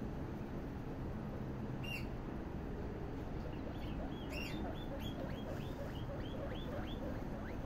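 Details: Guinea pigs popcorning: a run of short high squeaks that sweep upward, first one isolated then about ten in quick succession over the last four seconds, above a steady low hum.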